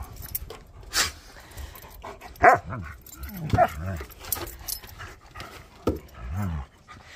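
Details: Wolfdog named Bob, a talking dog, vocalizing at home while promised a biscuit; short yowling, rising and falling voiced calls with curved harmonics, a few separate bursts across several seconds, with a woman's voice and household noise.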